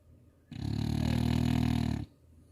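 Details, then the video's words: French Bulldog sleeping indoors in Chuncheon, snoring heavily: one deep, rumbling, buzzing snore lasting about one and a half seconds, loud enough to worry about neighbours' noise complaints. "드르렁~드르렁~잘잔다.무스야 코 좀 그만 골아라."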